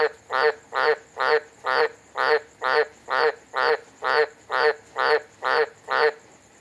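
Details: A frog at Humpty Doo, Northern Territory, Australia, on a hot, wet monsoon night, 4 December 2020, gives loud, nasal croaks in a steady beat, about two each second.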